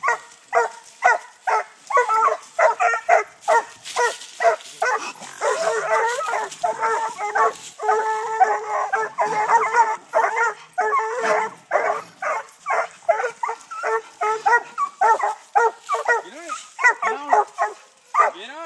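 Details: Six-month-old Treeing Walker Coonhound puppies bay at a live-trapped raccoon up a tree during hunting training in Texas. Several dogs give a dense, overlapping chorus of harmonic barks and bawls, nearly continuous, with some rising yips near the end.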